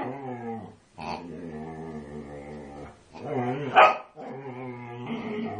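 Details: A female Siberian Husky, unusually vocal as she attacks a pig, gives three drawn-out harmonic moans separated by short breaks, the middle one rising into a loud, strained yelp.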